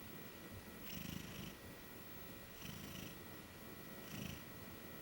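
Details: Sleeping female Maine Coon, a plump cat that shies from people, dozing on a bed during a cat-sitting weekend; three gentle snoring breaths, evenly spaced about one and a half seconds apart, with a breathy upper edge and steady background hum.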